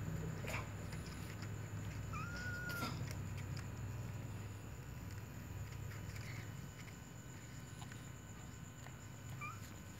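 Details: Little white cat giving one drawn-out, smoothly arching meow about two seconds in, then a brief, softer meow near the end, over a steady low hum and scattered faint clicks.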